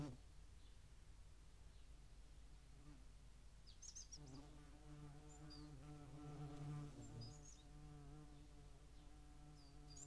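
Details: At a feeding site in Dohr, Eifel, on 11 July 2022, shared with median wasps, a European hornet's low droning buzz fades in midway and hums steadily for about six seconds, while faint high chirps sound in the background.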